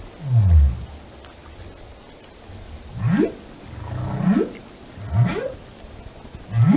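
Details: Whale song: a low, falling groan opens, then a series of short rising upsweeps from deep to mid pitch, each about a second apart, over a steady underwater hiss.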